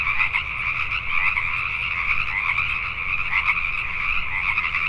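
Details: Night chorus of Pacific tree frogs in Richmond, British Columbia, Canada: continuous overlapping croaking with slight louder surges about once a second, the many callers blending into one steady throb.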